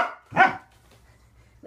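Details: Waffle, a pet Corgi, barks once during an indoor training session of leg extensions and conditioning exercises. A single sharp, loud bark follows a 'lay down' command, then the small room falls quiet before a human voice resumes.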